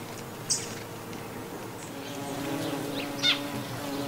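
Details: Recorded 18 November 2011 in Brittany's Gulf of Morbihan countryside, an autumn buff-tailed bumblebee gives a continuous low humming drone among other Hymenoptera, while two short sharp bird chirps stand out above.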